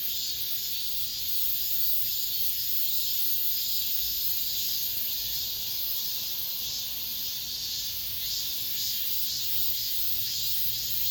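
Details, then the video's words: Last cicada song of this summer within an apartment complex: continuous shrill buzzing from cicadas, pulsing softly in intensity over about eleven seconds, with a faint low hum underneath. "올 여름 마지막 매미소리"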